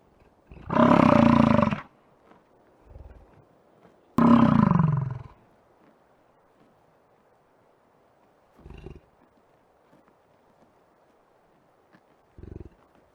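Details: American bison in Yellowstone park: two loud, deep, rough bellows of about a second each, then softer short grunts spaced several seconds apart in a quiet outdoor setting.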